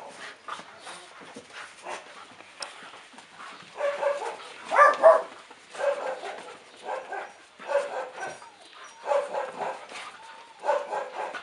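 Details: Two dogs playing together, giving short rough growling and grumbling bursts in uneven clusters about every second, with quieter gaps between bouts.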